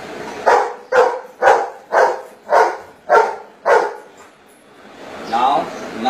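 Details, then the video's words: Golden Retriever barking answers to spoken maths questions: seven short, evenly spaced barks about half a second apart, followed by a person's voice asking the next sum. "Golden retriever doing maths calculations"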